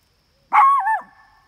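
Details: At a campsite, Pandora or Maximus barks at nearby coyotes they can smell: one loud bark with a wavering, drawn-out tail, then fading.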